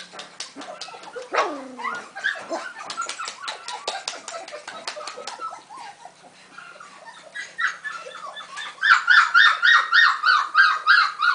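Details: Golden retriever puppy, five weeks old, at a breeding kennel: a run of high whimpers and short yips, one clear downward-sliding whine near the start, ending in a rapid burst of squeaky yelps repeated several times a second.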